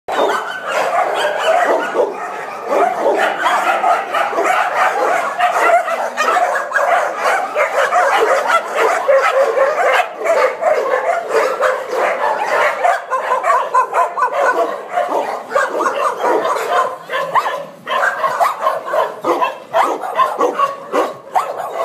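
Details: Dense, continuous chorus of many dogs barking at once in a shelter housing 600 dogs in Sevilla, Spain; overlapping barks and yips blend into a steady wall of sound with no pauses.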